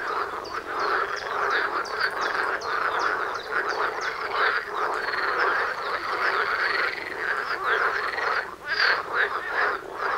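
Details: Frogs croaking en masse near a home's front door in the love season, many rapid rattling calls overlapping into a continuous din, a brief lull near the end before calling resumes.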